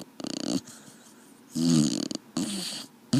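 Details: A sleeping dog snoring indoors: rough, rasping low breaths in three main bursts, each about half a second long, with quiet pauses between them.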